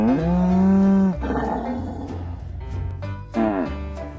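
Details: A cow's low moo held for about a second and ending abruptly, followed by a brief second moo, set against pulsing background music.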